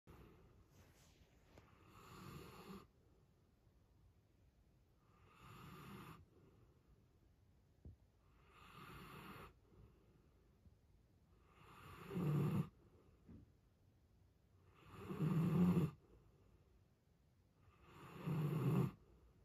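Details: A giant Alaskan Malamute snores very loudly while sleeping, with deep rasping breaths about every three seconds that grow louder.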